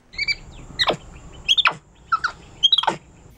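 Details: MonkeyBoo, a pet capuchin monkey, talks with his owner indoors; high, squeaky chirps with sharp downward-sweeping squeals come in about five quick bursts over three seconds, some bursts doubled or tripled.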